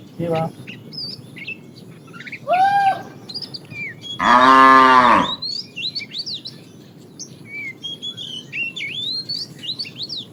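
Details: Cows being herded to pasture in the morning: a brief low grunt, a short moo, then one loud full moo lasting about a second, while many small birds chirp and twitter around them.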